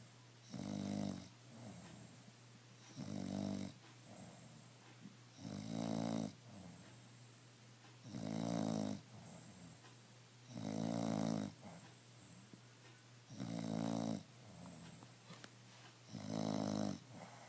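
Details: Pet bulldog Emma snoring peacefully, free of stress: seven regular, gravelly snores about every two and a half seconds, separated by quiet exhalations, over a constant low background hum.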